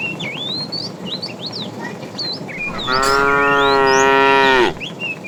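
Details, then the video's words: A fat tame cow calling to a female while a herd is driven along in the afternoon: one loud, long, steady harmonic moo of nearly two seconds, with twittering birds throughout before and after. "The funny sound of a fat cow calling the female"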